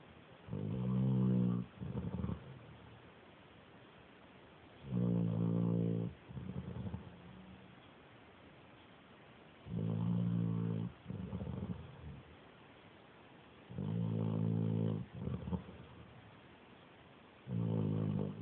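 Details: Sleeping dog snoring like a little pig: low, harmonic rasping breaths in paired bursts, each about a second long, recurring roughly every four to five seconds with quiet pauses between.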